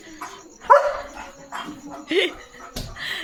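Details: German Shepherd barking on evening guard duty at a farm to protect his area: one loud sharp bark, then a softer bark over a second later, with people talking nearby.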